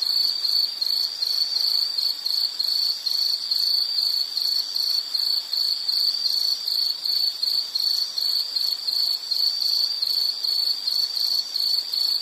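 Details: Insect calling in a relaxing nature soundscape, a continuous shrill cricket-like chirping pulsed about two to three times per second at a constant high pitch, steady throughout over light background hiss.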